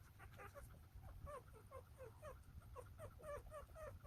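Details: Newborn Golden Retriever pups, nine littermates one day old in Naju, South Korea, squeak over and over, about two overlapping high, bent chirps each second, over a low background hum.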